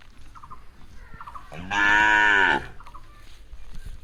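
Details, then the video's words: Cow in a grassy setting, described as eating grass: one short, loud moo lasting under a second, midway through, with faint high chirping calls before and after and soft rustling in between. "Sound of Cows Eating Grass"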